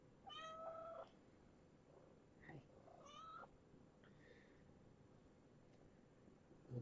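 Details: Kittens at bedtime, resting after a vet visit and vaccinations. Two thin, high-pitched meows about two seconds apart, each short and slightly rising, with softer squeaks between them, over a quiet indoor hum.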